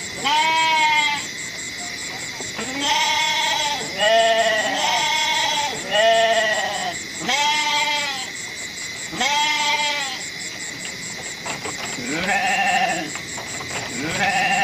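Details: Goats bleating in a busy series of loud, quavering nasal cries, some overlapping and varying in pitch, with a few lower, shorter bleats near the end over a steady background whine.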